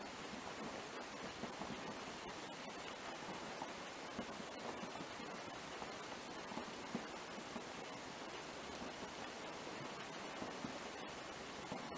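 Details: Steady broadband hiss like rushing water fills the whole stretch, with no animal voice heard.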